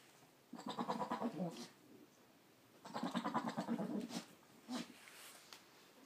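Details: Boer buck goat talking to his goats with low, rapidly pulsed, stuttering bleats in two bursts of about a second each, then a short third call.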